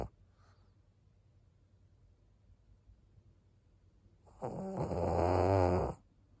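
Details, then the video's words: Snoring of Maria, an 11-year-old fawn female senior pug in Japan: after four quiet seconds, one loud rasping snore of about one and a half seconds with a low rumbling buzz, then silence. "パグのマリアさん。Pug Maria."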